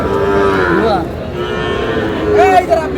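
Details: Sahiwal bull calves bought by a Dhaka farmer, recorded on 19 May: a drawn-out, harmonic-rich moo in the first second, then a second, shorter bellow near the end, with murmuring people in the background.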